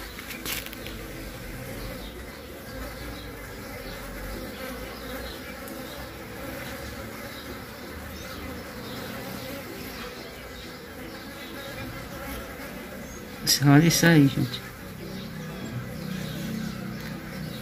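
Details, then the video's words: Caatinga mandaçaia bees around a queen being mated by drones outside the box; continuous soft hum, with a louder, rising and falling close buzz passing near thirteen to fourteen seconds. "Rainha de mandaçaia da Caatinga copulando"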